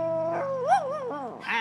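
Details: Dog howling: a steady tone that wavers, rises into a quick peak, then dips and slides down, followed by a brief higher yip at the end.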